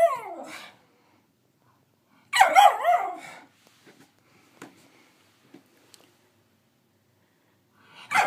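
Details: A nine-month-old female miniature schnauzer, still finding her voice, attempts barking and howling: wavering, yelping bark-howls in two short bursts.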